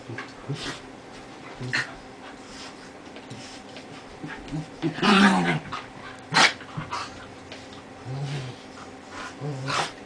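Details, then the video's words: Play between two dogs, one of them Molly, an 11-year-old Lhasa Apso, after weeks of building trust; brief low growls, a louder snarling burst in the middle, sharp clatters and scrabbling. "dogs at play"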